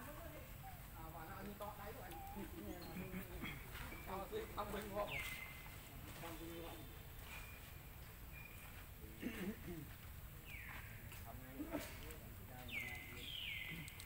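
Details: Baby monkey Lucie crying loudly and angry at her mother after being refused milk: thin, high whistled cries sliding downward, four spaced through the stretch, with low murmuring voices and steady background hiss.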